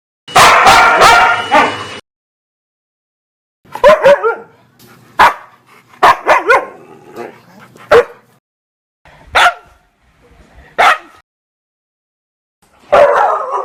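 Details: A barking dog opens with a rapid, loud volley of harsh barks, then gives scattered single barks and yelps every second or two, ending with another raspy bark.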